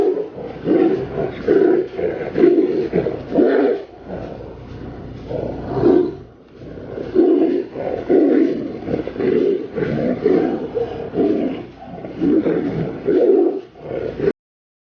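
Tigers fighting, trading harsh, throaty roars and snarls in rapid, overlapping bursts.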